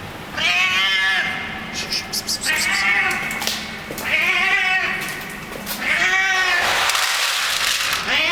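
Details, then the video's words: Hungry street cat that hangs out in a building's garage basement, making funny happiness noises while eating: repeated drawn-out nasal meow-like cries with rich harmonics, about one every two seconds, with chewing and clicking sounds between. "Hungry street cat eating and making funny noises at the same time"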